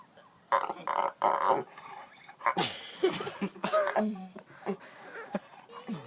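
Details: Pet dog making abnormal noises as if about to throw up, though it never does: two loud rough bursts early on, then a run of shorter broken gasping and groaning sounds, with faint human voices.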